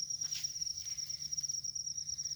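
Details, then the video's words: Continuous high, even-pitched ringing of a field cricket in a rice field. There is a brief louder rustle near the start, with faint footsteps and handling noise from people hunting for crickets. "suwara jangkrik sawah"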